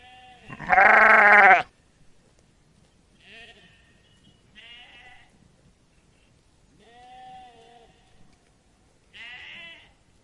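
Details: Sheep flock: one loud strained bleat at the start, then a series of softer, shorter bleats from other animals spaced a few seconds apart.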